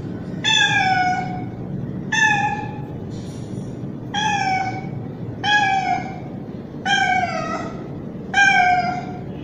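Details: Loud mating calls of a young male street cat calling for a female: six long, harmonic, slightly falling meows, roughly one every one and a half seconds, over faint steady background noise.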